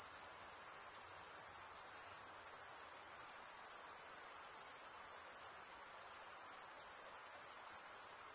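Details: Crickets, males chirping by stridulation, rubbing one wing's toothed vein against the other: a dense, continuous high-pitched trill holding steady for the whole stretch, with faint broadband hiss underneath and no other voices.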